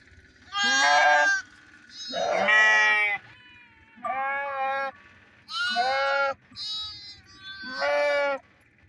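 Bighorn sheep giving a series of harsh, nasal bleats, each under a second long.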